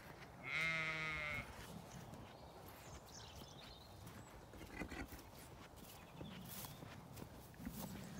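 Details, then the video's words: Zwartbles sheep on a County Kilkenny farm in Ireland at autumn dawn, greeting the farmer while waiting for their fence to be moved to fresh grazing. A single loud, harmonically rich bleat lasts about a second near the start, followed by quiet rustling outdoor background. "Sheep & Horses greet me waiting for their fence to move so they can have fresh grazing"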